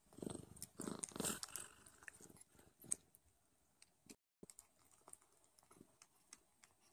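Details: Nursing Don Sphynx kittens with their mother: strong low purring surges fill the first three seconds, then give way to quieter wet sucking and clicking noises with brief pauses.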